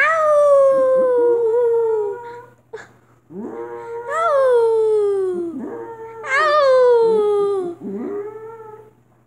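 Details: Loud, sustained dog howls, each beginning with a rising swoop and then sinking gradually, repeated three times with short breaks, mixed with brief whimpering slides between them over a faint steady hum.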